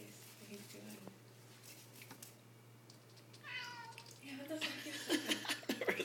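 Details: Young male kitten calling indoors with strange sounds: soft chirps early, then a clear falling mewl midway, followed by louder noisy rustling and scratchy sounds under a constant low hum.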